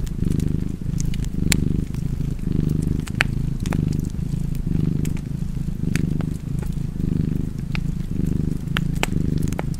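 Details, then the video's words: Low vibrating purr from a cat, pulsing in regular swells roughly once per second, mixed with frequent crackles and snaps from a burning fire. "Purring Cat and Fireplace"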